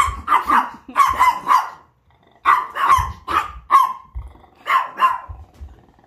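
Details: Chihuahua in a multi-dog household with Onii-chan and Wolf, an old dog: repeated high, sharp yaps in clustered bursts of two or three, with a brief pause in between and light thumping underneath.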